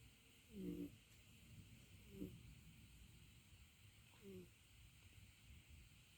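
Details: Umi the cat snoring: short rasping snores repeat about every one and a half to two seconds, each a brief harmonic rattle, over a steady background hum.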